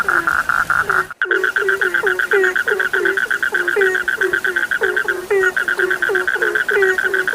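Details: Dense frog chorus with regular low croaks, each bending upward at its start, repeated several times a second over a constant high-pitched tone, broken by a brief silent gap.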